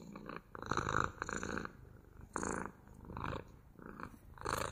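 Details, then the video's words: Purring house cat, ASMR recording: a low vibrating rumble rising and falling in breath-length bursts, loud phases separated by brief near-silent pauses. "ASMR МУРЧАНИЕ | ПОЛЧАСА МУРЛЫКАЕТ КОШКА!"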